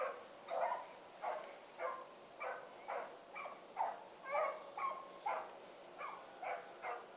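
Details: Evening run of the Blackreek dog pack (Choco, Dino, Johnny Ringo, Mingo) on 8-16-2014, freshly released; far-off barking rises and falls in uneven bursts about every half second, with a constant high-pitched hum behind.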